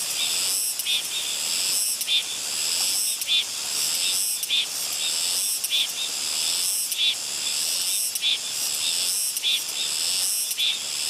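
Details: Soyosan cicada on Muuido island, South Korea, singing a loud continuous high buzzing drone with brighter pulsed accents repeating roughly every second throughout, steady and dense, with no other clear sounds.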